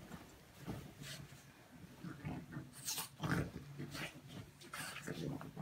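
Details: French Bulldog indoors, urged on to wake a sleeping person: low, rough grunting snorts and snuffles come in short bursts, with a woman speaking softly in Russian between them.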